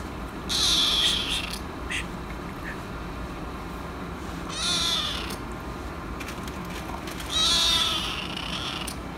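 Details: Angry kitten reacting to an annoying cat: three harsh, broad hissing bursts about three seconds apart, each under a second long, with faint clicks and low steady background hum between them.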